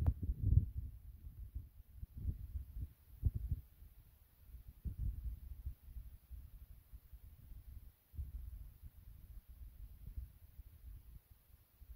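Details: Quiet indoor room with soft low thumps and handling bumps, and no animal sound.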